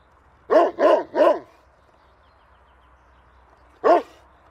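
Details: A dog barks three times in quick succession, sharp hoarse barks, then falls silent before one final bark; the background stays quiet apart from a faint low hum.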